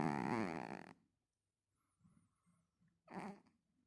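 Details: Pet cat snoring: a rough, buzzy, rapidly pulsing snore lasting about a second, a pause with faint soft rustles, then a shorter, quieter snore.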